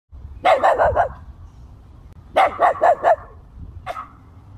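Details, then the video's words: Puppy barking in quick bursts: a run of four or five sharp high yapping barks, a pause, another rapid run of five, then one final bark. "डॉग barking"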